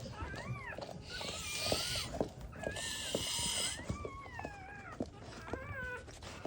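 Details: Just-born black Labrador Retriever puppies, first litter, getting emergency CPR to revive them, let out long wavering squeals that bend up and down, beside bursts of hissing rubbing noise from towel handling.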